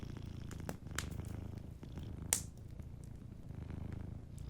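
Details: A sleeping cat purrs in low rhythmic rumbles beside a warm fire, breath-paced swells audible under occasional crackles and one bright pop midway.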